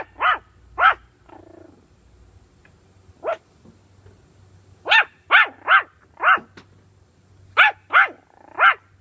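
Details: Puppy with bully sticks barking in short, sharp bursts: a pair, then a lone bark, then quick runs of three to four high yaps near the end, with a faint low hum and quiet gaps between.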